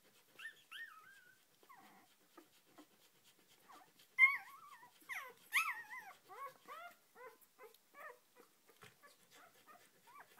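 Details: Four-day-old Australian Shepherd puppy Oscar, Sojo x Hustle litter, petted indoors: scattered soft squeaks early, then a denser burst of short wavering high whimpers repeating irregularly for the second half.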